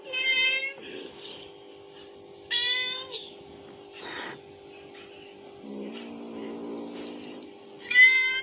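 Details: Kittens answering a mother cat's call played from a phone: a few short, high meows spaced apart, with softer shuffling noises and a low steady hum between them.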